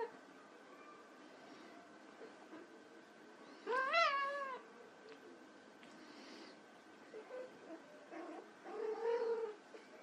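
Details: Playing white Persian kittens: one loud, arching meow with a rising-falling pitch around the middle, followed later by a few softer, shorter mews over a low background hum.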